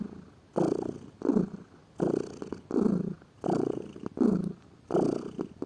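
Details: Domestic cat, a lazy pet, purring: rhythmic low rumbling pulses in bursts about every 0.6 to 0.7 seconds, each swelling and fading with the breath, in a quiet indoor setting.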